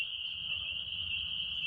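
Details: On a cool, overcast spring evening at dusk near a pond, spring peepers call in a dense, loud chorus, high piercing peeps overlapping into a continuous shrill ring over a faint low rumble; faint Canada geese and other birds occasionally.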